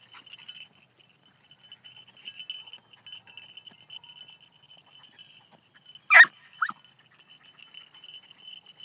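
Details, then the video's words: Four-month-old beagle puppy running a rabbit, giving two sharp, loud barks in quick succession partway through, over a steady high insect-like whine and faint rustling. "4 month old beagle puppy runs rabbit"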